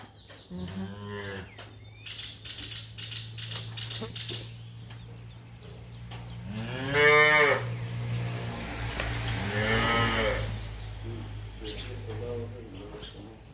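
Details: Dairy cows for sale in San Miguel, El Salvador, on a farm: two strong drawn-out moos near seven and ten seconds over a steady low engine-like hum, with fainter calls and brief noises.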